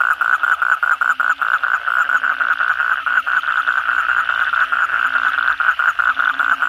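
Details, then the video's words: Night chorus of many kodok bangkong frogs after heavy rain: continuous fast, rattling croaks pulsing several times a second over a steady ringing drone, with faint lower hums recurring in the background. "suara kodok bangkong pada gacor setelah hujan lebat malam hari"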